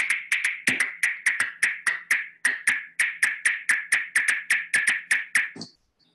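Little brown bat: a run of about twenty dry, knocking clicks, roughly three a second and slightly uneven, like tapping on a drum.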